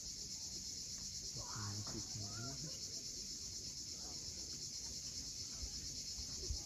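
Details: At sunset on the Crimean coast at Cape Fiolent, massed cicadas hold a flat, piercing drone, while a short rising tonal sound breaks in low down early on.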